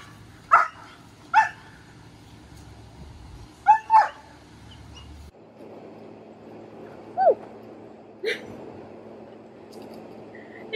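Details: A young German Shepherd named Maya, just past one year old, barking at an obedience training session in Detroit: loud isolated barks, a pair near the start and another pair midway, then single barks separated by quiet stretches.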